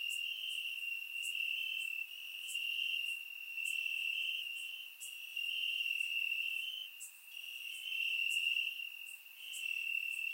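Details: Grass crickets on a warm Bulgarian summer night, surround-microphone recording: an unbroken high-pitched trilling chorus rising and falling in volume every couple of seconds, with faint sharp ticks overhead.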